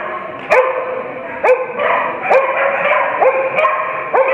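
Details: Veteran dog at an agility show at Easton & Otley College, Norwich, on 7 November 2015, barking loudly and steadily about once a second, sharp repeated barks over a busy indoor hum.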